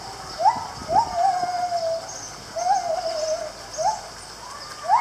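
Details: A gibbon at Lisbon Zoo in 2019 gives loud, upward-swooping whoops roughly every second or two, some notes stretching into longer, wavering, sliding hoots, over a faint steady hiss.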